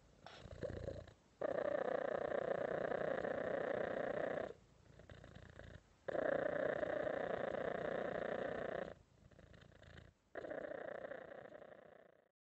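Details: Long stretches of loud, steady cat purring, a vibrating drone broken by four brief quiet gaps where the purr stops and restarts.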